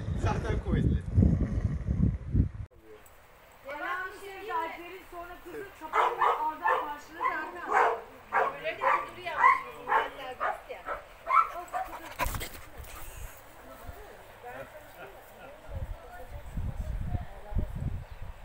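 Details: Cane Corso and Pitbull Terrier, Nero and Rio, at play together: a run of high, harmonic yelping barks and whines in uneven bursts roughly twice a second, framed by low rumbling thuds and handling noise at the start and end.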